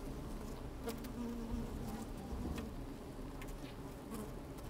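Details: Inside an open beehive on a sunny day, bees busy at work: low continuous hum carrying a faint buzzing tone, punctuated by a few sharp clicks and scratching sounds from bodies moving against the microphone.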